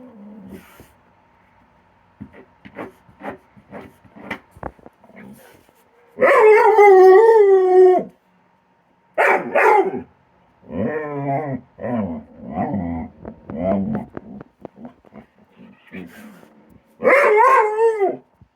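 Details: Dog Kilo vocalizing while playing his regular game with Korra by her tree: a run of short clicky yips, then long wavering howl-like whines of about two seconds, broken yodeling cries, and another drawn-out howl at the end.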